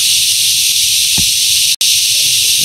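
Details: Cicadas, called yayay and locally kuliglig, out during their season of emergence: a loud, unbroken high-pitched hissing drone fills the whole recording, cut by one very brief gap near the end, with faint low rustles underneath.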